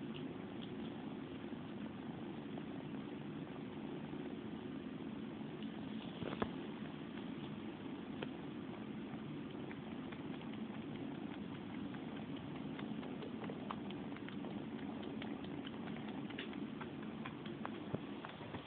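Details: Dynah, a pet kitten, suckling on a toy bunny while purring: a continuous low, even rumble with no breaks, broken by scattered faint clicks and one louder tap partway through.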